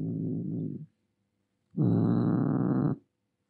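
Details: Angry domestic cat producing a short low growl, a pause of nearly a second, then a longer, louder rough rumbling growl lasting over a second.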